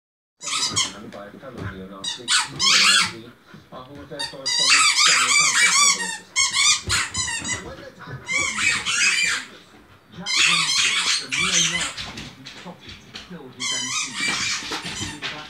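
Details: Pet Samoyed indoors in a small room, giving high, squeaky, wavering whines and yowls in several long bursts, with people talking between and over the calls.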